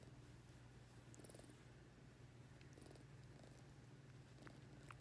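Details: Low steady purring from a ring-tailed lemur receiving affection and petting, continuous deep hum with small clicks and rustles of touch on top.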